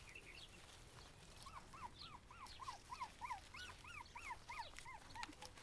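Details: Cavalier King Charles Spaniel puppies sitting in a flower basket give high, thin whimpers. Each whine arches up and then falls, and they come in a quick run of about three per second, with light rustling in the background.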